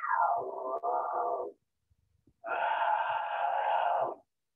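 An unhappy bobcat gives two harsh, wailing growls, the first sliding downward, the second held steady.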